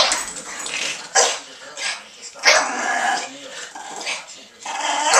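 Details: Rough, noisy tug play between two Boston Terriers indoors, one a female turning three: harsh, raspy growling surges in loud bursts about every second or so, with scuffling noises between them.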